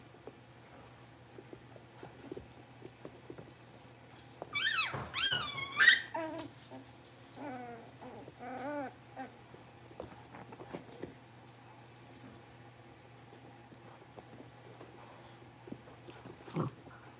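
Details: Blenheim Cavalier King Charles Spaniel puppies, a litter of five born at New Year, settling into a bigger indoor pen: a short burst of high, squealing whines and yelps sliding up and down, then quiet with faint rustling and a steady low hum.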